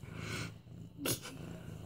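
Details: Orange tabby cat Mufasa, almost 8 months old, purring as he is petted; a low rumbling purr continues beneath a short, sharp rustling burst near the middle.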